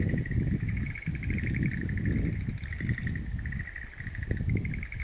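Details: Frogs calling in a wild plant garden on 11 April 2013: a steady pulsed trilling chorus, mid-pitched and continuous, over heavy low rumbling background noise.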